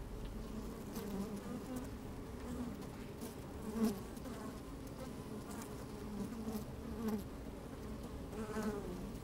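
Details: Honey bees busy at work inside an open hive on a fine sunny day, microphone slid down among them; a steady low hum with tonal bands and brief louder buzzes as bees move about, faint crackling throughout.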